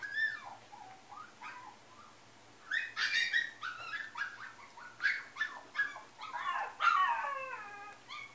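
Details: Female Yorkshire Terrier giving a run of high, pleading whimpers and yelps, each sliding down in pitch, in irregular bursts about every half second, with a brief quiet pause early on.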